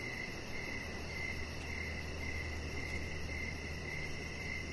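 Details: Evening crickets heard from an outdoor deck, repeating short bright chirps in an even rhythm about twice per second, set against a low rumbling background hum and a light steady hiss.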